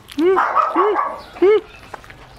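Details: Male German Shepherd x Labrador mix, excited while eating about three quarters of a kilo of raw chicken, lets out three arched, whiny barks in quick succession, the last after a short pause, with soft household sounds around.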